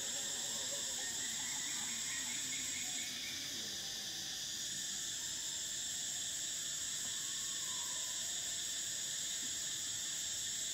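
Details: Steady high whirring of cicadas in summer, several layered buzzing tones holding without pause, one upper band shifting briefly around three seconds, faint lower tones drifting underneath.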